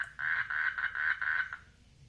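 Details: Frogs mating in a water lily pond; a series of about six rapid, rattling croaks in quick succession over one and a half seconds, evenly spaced, then silence.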